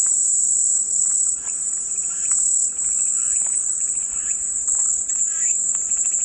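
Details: Calming white-noise cicada sound: one continuous, very high, shrill buzzing drone at even loudness throughout, with faint scattered chirps underneath.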